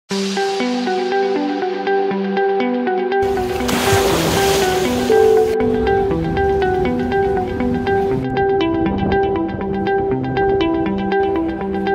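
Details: Melodic instrumental music with steady repeating notes fills the whole stretch, and a burst of surf-like noise swells between about three and five and a half seconds; no animal voice stands out.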